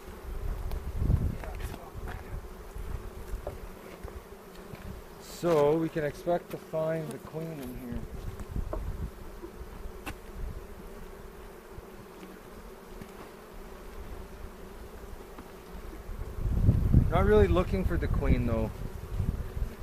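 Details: Honey bees at an open hive during an April 27 inspection in a bee yard in the foothills near Cochrane, recorded on a 360 camera. A steady low hum drones throughout, with voices breaking in twice.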